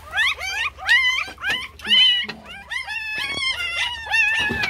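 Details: Puppies on their first day, crying loudly and competing for attention: a dense run of overlapping high whimpers and squeals, some wavering, with a soft human voice briefly underneath.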